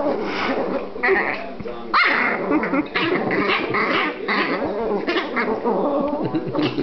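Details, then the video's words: Sibling Silky Terrier puppies, a brother and sister, fight while being held, giving rough, noisy yips and short snarling bursts throughout, with one thin squeal near the middle; a man's voice mixes in. "Crazy Silky Terrier Sibling Puppies Fighting"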